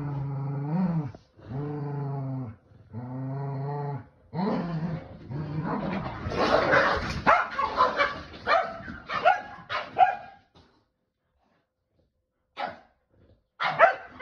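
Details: Tug-of-war play between Kumo the Keeshond and Sully the Boston Terrier over a starfish toy; three deep drawn-out growls, then rough, scuffling growl-barks, followed by near silence and a few faint clicks.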